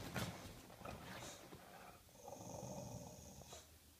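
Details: English Bulldog barking and growling on a sofa indoors: short rough bursts in the first second and a half, then a sustained, low, throaty growl-like tone from about two to three and a half seconds, fading out at the end.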